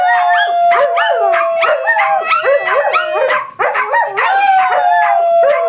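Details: Pet dogs howling in chorus as they 'sing': one smooth sustained tone holds steady while other voices add quick wavering yips and looping yelps, almost continuous, dipping briefly near the middle before resuming.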